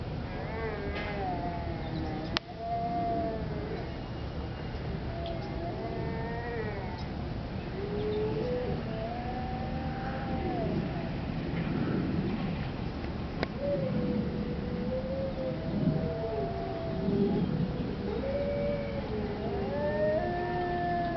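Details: Several arctic wolves howling at the Denver Zoo: overlapping long, smooth, wavering howls that rise and fall, layered chorus voices crossing each other throughout, with a couple of sharp clicks and low background rumble.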